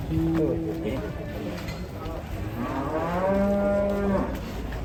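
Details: A bull or cow, agitated because it is about to be sold, lets out two drawn-out moos: a short low bellow, then a longer steady one about a second long, over a murmuring background.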